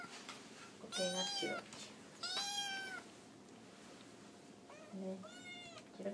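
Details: Japanese tabby kitten meowing to ask for food while three cats eat together indoors; three clear high, arching meows with gaps of quiet between them and a low steady hum behind.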